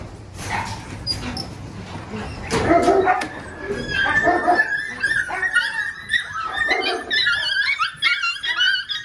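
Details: Six-week-old Belgian Malinois puppies from the Lorockmor Mensa x Pixel litter, lively and rowdy. Rustling, thumping noise comes first, then overlapping high yips, squeals and whines from several pups in the second half.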